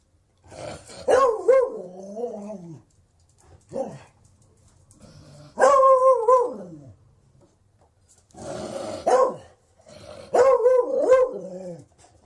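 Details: A Beagle bays repeatedly: five harmonic, wavering barks of varying length, some long and drawn out with a falling tail, others short yelps, separated by brief silences in a quiet room.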